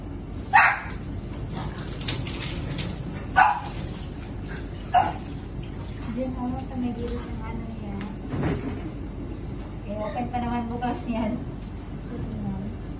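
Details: Bath time for Oreo the French Bulldog: three abrupt barks spaced a second or two apart early on, followed by people talking over constant water noise.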